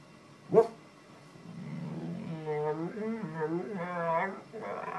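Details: Bull Terrier waking its owner in the morning with drawn-out, wavering moans that rise and fall in pitch over about three seconds, after a single sharp knock.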